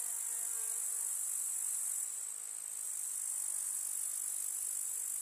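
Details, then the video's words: Grasshoppers chirping in a summer meadow among wildflowers, a dense, steady, high-pitched shimmering chorus that holds without pause, with a brief slight dip in loudness near the middle. "КУЗНЕЧИКИ. Слушать звуки летнего луга"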